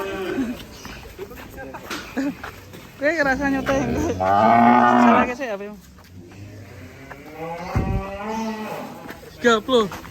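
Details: Escaped cow on an Indonesian cattle farm bellows a loud, wavering moo lasting about two seconds, with shorter calls around it, music underneath and people laughing.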